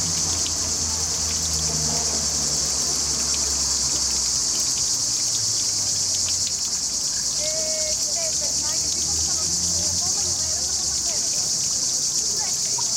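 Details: Cicadas sing nonstop in trees by a river where a fountain runs. The shrill, even buzz lasts throughout, with brief faint chirps midway and trickling water below. Recorded with a Panasonic HC-X900.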